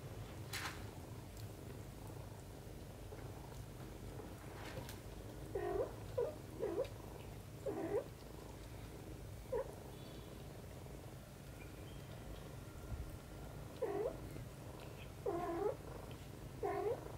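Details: Mother cat Xaxa and her kitten Kimi playing together and cleaning, a steady low rumbling purr running throughout, broken by short, high mewing calls in small bursts near the middle and again toward the end.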